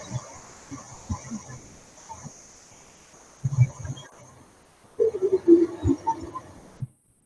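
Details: Singing humpback whales give low moans that start higher and sweep downward, with a steady high hiss behind them.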